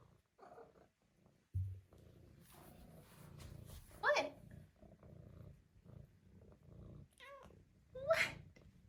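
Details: Female Maine Coon kitten, four months old, making short, sharp rising chirps about four seconds apart, with a person talking softly and handling noises in a quiet indoor room.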